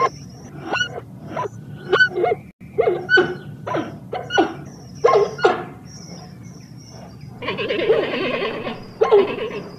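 A giant panda gives a run of short, bleating, bark-like calls, repeated in quick bursts.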